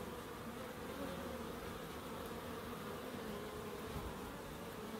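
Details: Garden bees at a small wildlife-friendly plot in Crookes, with a bird box and small pond nearby, give an even, unbroken buzzing drone that holds a constant pitch throughout.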